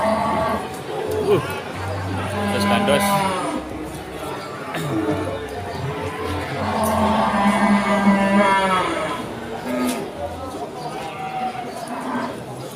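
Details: Cattle at the Pon cattle market in Ambarawa during Ramadan 2024, newly brought from the pen. Low, drawn-out moos of a second or more rise from dense crowd chatter, bargaining voices and some background music.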